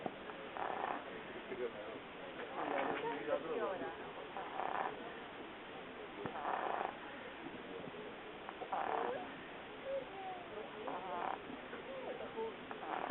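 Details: Dog asleep on a very hot day, snoring in rough, breathy bursts that recur about every two seconds against a low, steady hiss.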